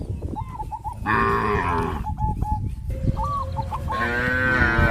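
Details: Cows of a village farm herd moving toward green grass fields; two broad, droning moos, one in the middle and one at the end, separated by quick hooked honks from other farm animals repeated several times a second.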